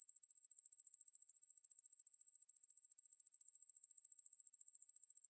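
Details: Ruspolia lineosa, a katydid, in a 2020 National Institute of Biological Resources recording from Korea: steady, shrill, high-pitched pulsed buzz, fast regular ticks at an even loudness throughout, in a clean background.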